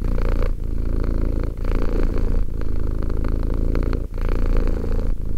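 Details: Continuous low rumble from a purring two-year-old cat, each in-and-out breath lasting roughly one second with a short gap, deep and even throughout.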